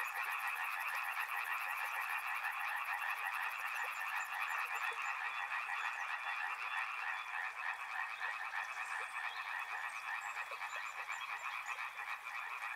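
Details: Soothing river-and-frog soundscape: a dense chorus of overlapping pulsed frog trills holds steady throughout. A shrill high buzz runs through the first five seconds.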